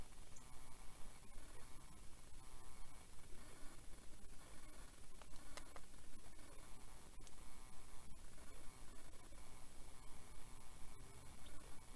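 Steady static and handling noise, with no clear animal voice.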